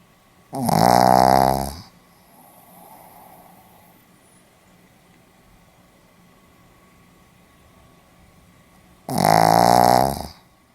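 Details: Pomeranian dog asleep, Hiroshima, 4 November 2015: a pair of strong, harmonic, droning snores, each about a second long and spaced roughly eight seconds apart, over a low steady background hum.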